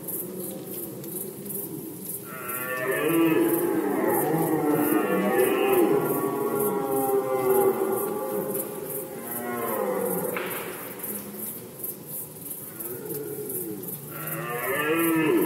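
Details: Red deer roaring during the rut in Poland, 2020, with a long, throaty bellow of several seconds, a pause, and then further groaning roars, the last beginning near the end.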